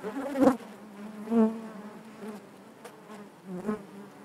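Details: Inside a honey bee hive, a continuous low drone of many bees, punctuated by brief louder buzzes as individual bees pass close, about four surges across the stretch.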